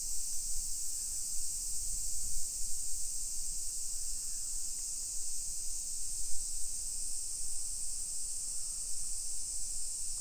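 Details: Constant high-pitched droning of summer cicadas over a modern hillside neighbourhood in Nisshin, near Nagoya, Japan, at 1 PM in late July 2021, unchanging in pitch, with muffled low thuds of walking underneath.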